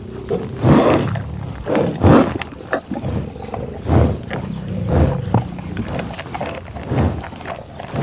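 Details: Tallgrass prairie bison near Pawhuska, Oklahoma, captured with Schoeps and 788T gear: loud, airy sniffing bursts recur roughly every second, mixed with low growling grunts between them.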